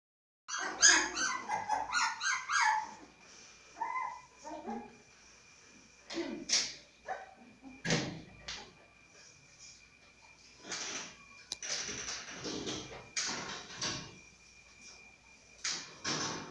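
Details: A Siberian Husky puppy gives a burst of high, wavering whines and yips, then scattered softer sounds.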